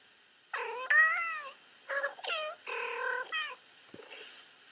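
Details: Cats meowing on a screen while a kitten watches feline TV: a run of bright, wavering meows that slide up then down, four or five short calls one after another, then a soft final note.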